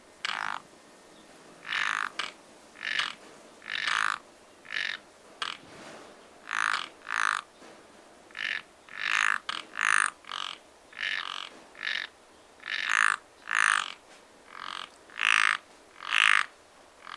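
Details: Frogs croaking at a pond in spring, Japan: short harsh broadband croaks, many overlapping callers, repeated roughly every second with uneven spacing, some in quick pairs, over a quiet background.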